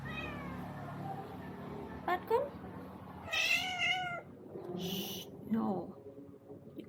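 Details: Visiting tomcat, strange-sounding and upset, who came for food and to seek a mate with the household's spayed female cat: several drawn-out, wavering meows rising and falling in pitch, with a person talking and brief music.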